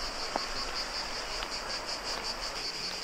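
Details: Cicadas along the path beside the Roman Aqueduct of Nicopolis at Agios Georgios, Preveza, Greece, with a river to the left: a steady, high, pulsing buzz that holds throughout over a soft rushing background.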